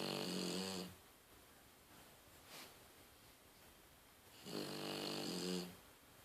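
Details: A female French Bulldog named Daiwa asleep with her eyes open, snoring fairly softly indoors: two rasping snores, each about a second long with a low harmonic buzz and a hissy upper band, separated by roughly three and a half seconds of quiet breathing.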